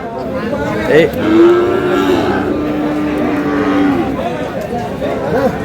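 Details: Sahiwal bull calf at a busy cattle haat in Cumilla, Bangladesh, recorded 9 June: one long, level, low moo holds for nearly three seconds, with a short upward-bending start, over steady market murmur and distant voices.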